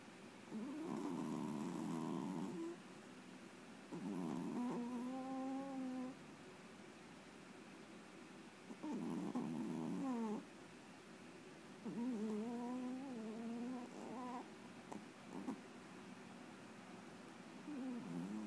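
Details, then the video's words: A pet Chihuahua dreaming while asleep indoors: muffled huffing bursts alternate with nasal, wavering whimpers that rise and fall, in bouts every few seconds with quiet gaps between. "Chihuahua dreaming"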